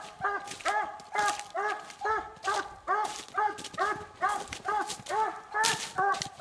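A Treeing Walker Coonhound gives steady, ringing chop barks, about two each second, announcing treed quarry.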